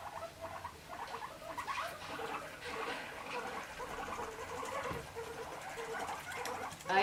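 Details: Guinea pigs being introduced to each other chatter angrily, a rapid clicking patter of teeth, while one puffs up its neck hair in anger. A soft spoken voice runs underneath.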